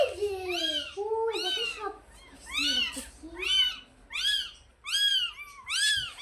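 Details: Two small kittens brought home and played with, mewing: a rapid series of high, thin, arched mews, about eight in six seconds, overlapping and fairly regular.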